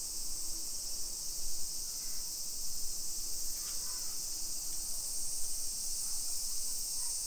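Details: Summer cicadas in a hillside residential neighborhood of Nisshin city, suburban Nagoya, Aichi Prefecture, Japan, at 1 PM on 28 July 2021. A dense, steady, high-pitched shimmering drone runs unbroken throughout, over a faint low street rumble and a few soft clicks.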